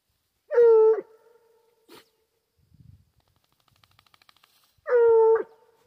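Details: Hunting Foxhound after wild boar: two short, level howls at start and end, with faint clicks and rustling between them.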